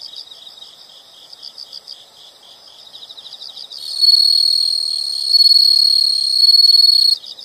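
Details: Insect chorus in a relaxing nature recording: soft pulsed chirps repeating about four per second, then a louder continuous high trill joins and dominates before fading.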